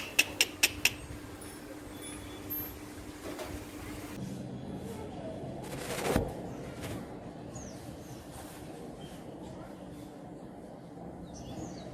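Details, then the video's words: Gecko in a house, on the wall, gives four sharp, rapid clicks in quick succession in the first second. Afterwards only a steady low hum and a few scattered faint knocks remain. "Gecko Sound effect | Lizard making sound"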